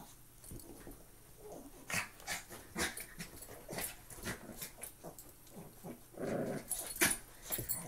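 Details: Playing together, two Maltese dogs make soft huffs and scuffles, then a brief buzzy growl late on, with sharp clicks of paws and movement throughout.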